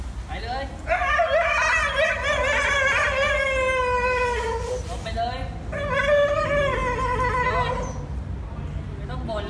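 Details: Husky from a funny pet compilation giving two long, wavering howl-like vocalizations, each a drawn-out tone that wobbles and slowly falls in pitch, with a short pause between them over a steady low background rumble.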